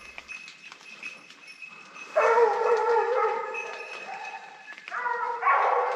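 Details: Hunting dog Opal joining Nina as she holds wild boar at bay during a drive hunt in the Cévennes; after a quiet start, loud harmonic baying yelps arrive in two bursts, around two and five seconds, over faint background.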